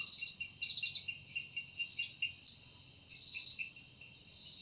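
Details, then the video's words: Cicada calling in a forest in the evening, wings stated to make the sound: a steady high shrill drone with a lower second band, swelling and pulsing in loudness with sharp accents every second or so. "Woundering voice of Cicada"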